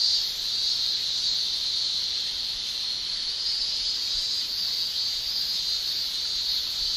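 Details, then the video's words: Male cicadas in Japan during summer, tymbal song: a steady, unbroken high shrill drone holding one pitch throughout, only faintly wavering in loudness. "Japan Summer Cicada Shrilling"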